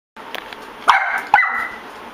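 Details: Puppies that have found a cockroach give two sharp, high yipping barks about half a second apart, each trailing into a brief whine, over light background hiss.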